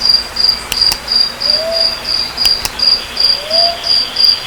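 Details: Cricket chirping: a steady high pure trill in even pulses about three per second, with faint sliding whistles in the background and a few sharp clicks.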